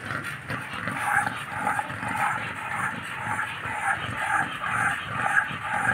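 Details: Unchained American Bullies, Happy and Demon, making low, huffing growl-like pulses in a loose rhythm of roughly two per second, a little quieter and steadier, with faint background hiss.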